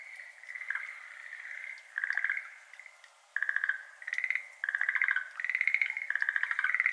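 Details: Several Schlegel's green tree frogs, endemic to Japan, calling in a water-filled iris garden on a May evening, 6:53 pm, 17 May 2022, ambisonic binaural recording: overlapping bursts of fast, rattling pulsed croaks, one starting as another ends, with brief quiet gaps.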